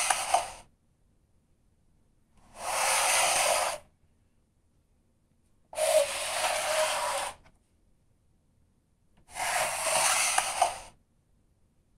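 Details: Four separate bursts of broadband scraping rustle, each a second or more long, separated by near silence, with no animal voice.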